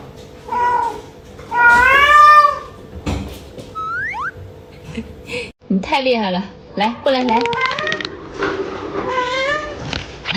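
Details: Pet cat Yuanbao asking for more food at dawn though just fed: two meows, the second long and rising then falling, followed by a mix of chirpy meows and human talking.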